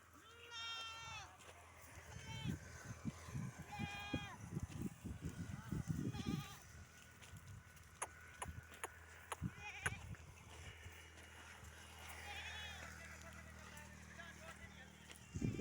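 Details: Desi Barbari goats, a breeder stock from Dera Ismail Khan in Pakistan, kept on a farm; several harmonic, wavering bleats in the first seconds, later more bleats amid people talking and rustling farm noise.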